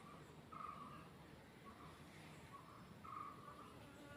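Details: Honey bee buzzing: a faint, wavering hum swells and fades in several short bursts over a few seconds against a steady low rumble.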